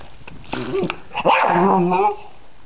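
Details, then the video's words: Dog named Freddy reacting to a butterfly in a yard, giving a short bark followed by a drawn-out, whining bark with a steady pitch, faint voice in the background. "freddy vs Butterfly"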